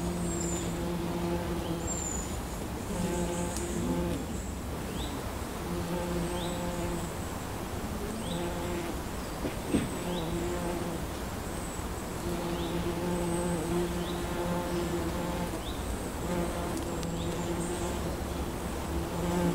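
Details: Wild honeybees foraging over a wildflower meadow in Scotland; steady droning hum with layered buzzing tones that swell and fade as bees pass, short chirps of birds high above, constant soft background.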